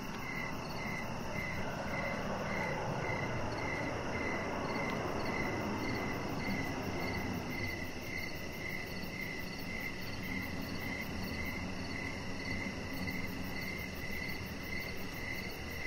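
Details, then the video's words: Crickets chirping outdoors on a deck in the evening: a steady row of short high chirps, about two per second, over a higher continuous pulsing trill and a broad hiss of background noise. "Cricket Sounds"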